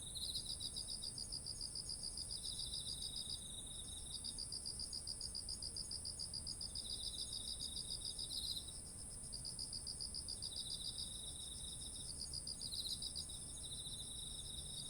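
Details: Autumn insects sing near heavy ripe rice stalks: long trains of fast pulsed chirps interrupted by short pauses, a lower trilling caller weaving between them, and an unbroken shrill high drone above faint background noise.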